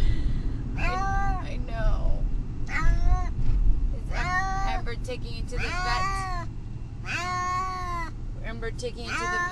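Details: Brutus the Beefcake, a cat riding to the vet and distressed, repeats drawn-out bent meows roughly every one to two seconds, over heavy low engine rumble.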